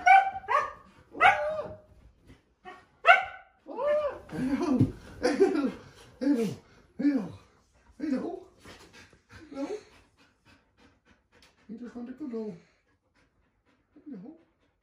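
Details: A nearly 2-year-old female Siberian Husky, worried when her owner hides under the bed covers, growls and grumbles in a run of wavering, talkative vocal bursts.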